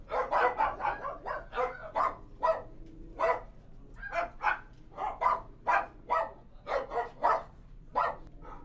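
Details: Kennel interior full of dogs barking nonstop: rapid volleys of short, harsh barks, close and distant voices overlapping, roughly twenty barks over nearly nine seconds against a low background hum.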